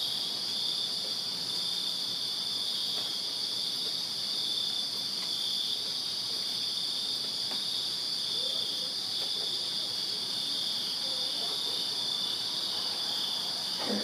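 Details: On a summer night in a Virginia backyard, crickets chirp in a strong, continuous high-pitched pulse, two bright bands steady throughout, with a few faint clicks and a short rising sound at the end.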